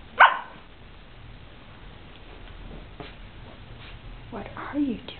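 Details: Holmes the puppy, playing up to the camera and hiding indoors, lets out one short, sharp bark right at the start, followed by a few soft whine-like sounds near the end over a low room hum and quiet human voice.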